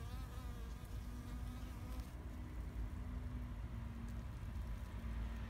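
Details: Spring bees among flowers in a garden in Japan, 2021. A wavering buzz fades early, then a thin steady drone hovers on and off. Constant low background rumble.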